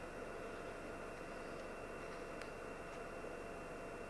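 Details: Steady hiss of broadband noise, with a few faint clicks and no animal voice.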